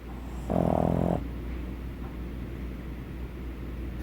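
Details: Pug dog snoring while breathing through its flat muzzle; one loud harmonic rasping snore of about half a second, followed by quieter breathing and a steady low hum.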